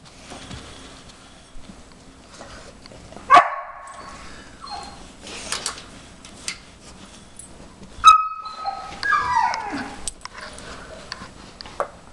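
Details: In the background of a 5-year-old German Shepherd's first nosework try, sniffing out treats under tennis balls, a 4.5-month-old briard puppy gives two bursts of high, drawn-out whining, the second wavering and falling, among soft indoor shuffling.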